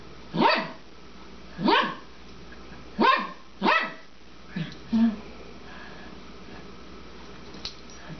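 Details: Twelve-year-old female Papillon at play with her bone, which she throws and chases; four clear sharp barks at roughly 1.3-second intervals, then a couple of softer short yips and quiet background.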